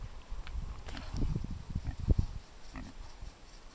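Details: Farm pigs messing about and itching, recorded while sheep and lambs were being moved; a burst of low rapid grunts and snorts clustered in the middle, with a few higher squeaky notes.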